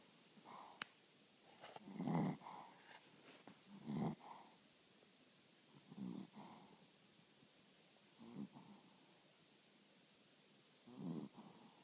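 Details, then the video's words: Pet dog asleep, snoring softly: low breathy snores in separate bursts roughly every two seconds, with quiet pauses between them. "Sleepy Lola snoring"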